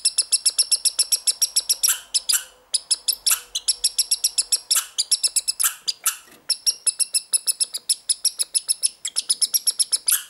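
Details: Young American red squirrel from this year in a strange, prolonged bout of calling; dense train of piercing, high chirps about five a second, broken by a few short gaps and harsher, noisier bursts.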